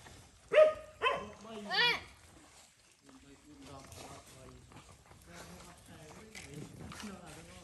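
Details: Stray mother dog on a farm in Cambodia, guarding her puppy while a boy gives it food: three loud, harsh snarling barks in quick succession, then quieter human voices talking.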